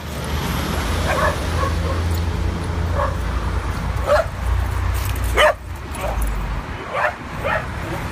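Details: Adopted dogs playing at a New York City dog park on their first visit; scattered short barks ring out every second or so over a steady low rumble of outdoor park noise.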